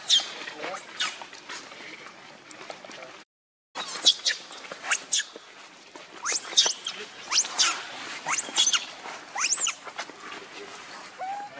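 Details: Angry, hungry baby monkey begging its mother for milk: a run of thin, high squeaks and squeals over eleven seconds, broken by a short silent cut, with faint rustling underneath.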